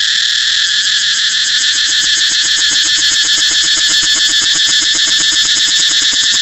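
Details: Intense cicada buzzing, a high, sizzling wall of sound with a rapid rhythmic pulsing running through it from start to finish.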